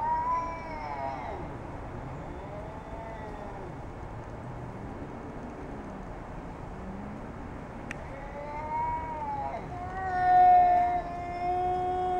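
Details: Jasper, a heavy domestic cat, confronting a neighbourhood cat; long drawn-out harmonic meows and wavering caterwaul tones, with a sharp click near the middle and a louder, steady yowl toward the end.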